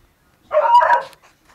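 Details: Miniature Pinscher mix dog giving a single drawn-out bark of about half a second, harmonic and slightly wavering, against a quiet background.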